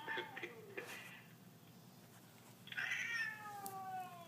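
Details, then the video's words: Siamese cat indoors, not wanting affection: a few short, clipped meows at the start, a quiet gap, then a louder, longer meow that slides downward in pitch. "Affectionate Siamese Cat Reaction Video"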